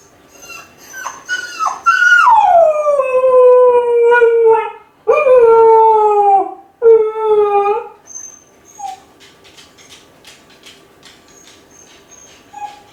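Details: A lonely Kai Ken left home alone howls as if calling its family to come back. Short rising yelps lead into three long, wolf-like howls. Each one starts high and sinks slowly to a lower steady tone. Faint clicks and chirps follow.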